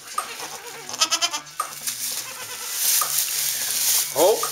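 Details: Newborn Saanen/Alpine kid goats, the first kids born on a hobby farm in May 2012, giving a short quavering bleat early on and brief higher bleats later, over background music, human voices and rustling noise.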